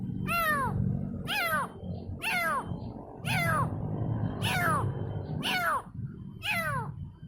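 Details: Young kitten calls for its mother: seven clear, falling meows about a second apart, each bright and slightly wavering, above a low background drone.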